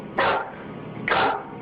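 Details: Adult dog indoors barking nervously while backing away towards the door from something it will not approach; two sharp single barks about one second apart over a quiet room hum.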